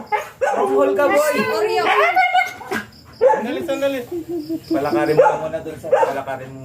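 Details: Siberian Husky pair during a stud session, both dam and sire first-timers, giving wavering, whining yelps that bend up and down in repeated bursts, mixed with human voices.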